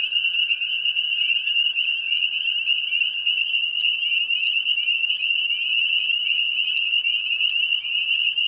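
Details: Spring peepers in full breeding chorus near swamps and ponds. Countless overlapping high chirps merge into one unbroken shrill ringing, joined by a quieter lower steady tone and occasional brief clicks.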